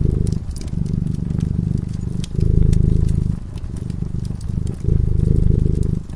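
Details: Cat drifting into slumber by a cozy fireside gives a deep, continuous purr that rises and softens in alternating breaths about every one to two seconds, while the flickering fire snaps and crackles in the background.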